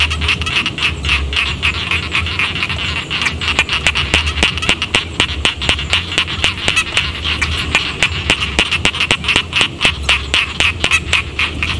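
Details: Frogs calling from village rice fields: a dense chorus of rapid, clicking croaks overlapping in quick succession, with a steady low rumble beneath the whole recording.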